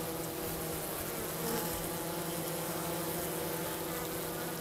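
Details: In mid-March at 50 degrees near St. Paul, Minnesota, hygienic honey bees clear dead from the bottom of their hive; an even, droning buzz of many bees, with a faint low hum underneath.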